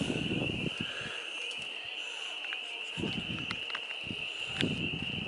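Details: Many frogs mating in a homestead farm pond in spring, April 25, 2022: a steady high-pitched ringing chorus runs throughout, broken by low rumbling bursts and scattered clicks.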